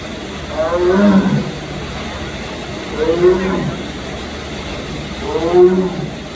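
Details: A Sumatran tiger at Memphis Zoo gives three deep, moaning calls, each about a second long, spaced roughly two seconds apart.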